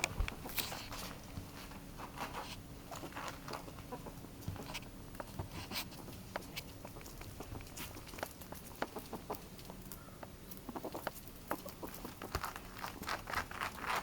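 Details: Highly excited pet ferret making soft, quiet clucking 'puppu' dooks in irregular bursts, mixed with scratchy scuffling and pattering as it moves around indoors.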